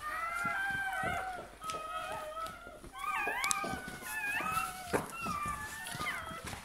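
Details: Freshly born Bernese Mountain Dog puppy whimpering in a run of short, bending whines, some rising sharply, while a woman speaks softly in French close by.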